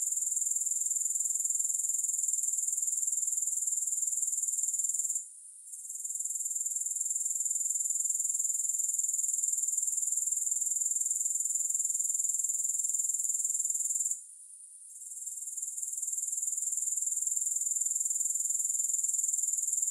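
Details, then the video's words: Grasshoppers in a continuous, very high, shrill buzzing trill with a steady pulse, breaking off briefly twice before resuming, with no music or other sounds. "3 Hours of Grass Hopper Sounds"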